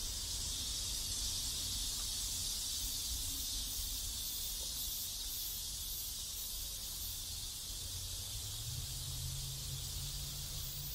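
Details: Cicadas singing in a neighborhood in South Korea: a dense, steady, high-pitched hissing drone with a faint pulsing shimmer throughout, over a low background rumble that swells near the end.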